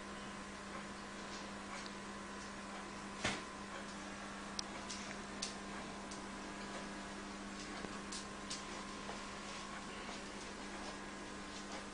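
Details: A quiet indoor room with a steady low electrical hum and scattered faint ticks and clicks; no animal voice stands out.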